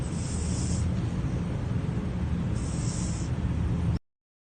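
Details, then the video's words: Sleeping cat named Pizza snores in a low, continuous rumble, broken by two soft hissing breaths a couple of seconds apart before falling silent. "Snoring Pizza, the cat"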